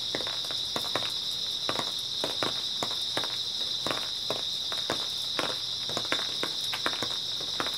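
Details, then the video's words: Grass insects on an early autumn night, a steady high-pitched shimmering chorus running without pause, overlaid by frequent crunchy footsteps on dry ground as someone walks. "초가을 밤부터 새벽까지 백색소음 풀벌레 소리"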